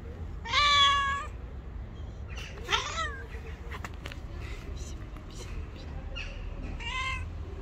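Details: White cat, angry and not allowing anyone to approach, lets out a strong wavering meow, then a shorter sharper cry and a later softer meow, with scattered clicks and rustles between calls.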